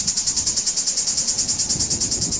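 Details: Southern cicadas sing a high, dry buzz that pulses steadily, about eight throbs each second, in Moldova; males sing to attract mates.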